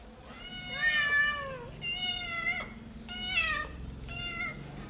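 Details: Mother cat with her kittens: four high, clear meows, each sliding downward in pitch and drawn out, spaced over about five seconds, indoors with little background noise.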